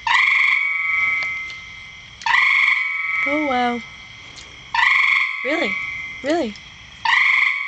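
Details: A frog in a rain barrel repeats four sustained, buzzy, ringing tones, each about two seconds long. Short descending chirps sound in the gaps between them.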